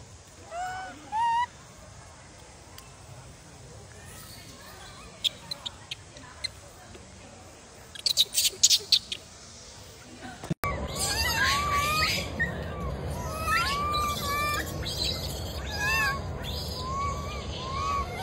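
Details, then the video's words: Wild macaque baby crying after its mother bullied it: after a faint stretch with clicks, a dense run of short arched whimpering cries repeats rapidly over a constant high-pitched insect drone. "The baby monkey was bullied by the mother monkey and cried loudly"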